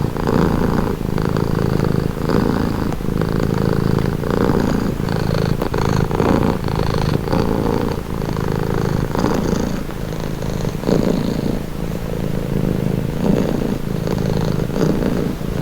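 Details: Close, continuous purr from a pet cat, offered as a soothing sound; a low buzzing rumble that swells and eases with regular breaths about once a second, steady for the whole stretch.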